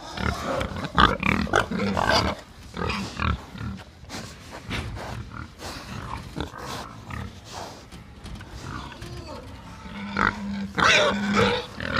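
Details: Several pigs on a farm in the Philippines grunt and oink in short, irregular bursts, calling over one another.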